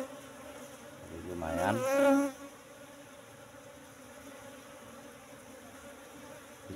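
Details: Asian honey bee swarm at a box hive, relocated from forest about three months ago, disturbed during honey harvest; one bee buzzes loudly past with a rising then falling whine over a constant colony hum.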